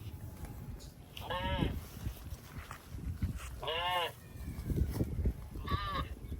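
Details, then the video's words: Cattle passing through water in rice fields: three bright, wavering moos spaced about two seconds apart, over low splashing and rumbling water. "Funny Cow Sounds Passing Water in Rice Fields"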